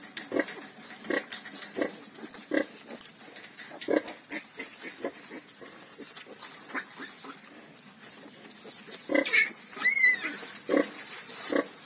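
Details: Ten newborn piglets on a farm grunt in brief repeated bursts, over eighty a minute but unevenly spaced, while two sharp high squeals break in around nine to ten seconds.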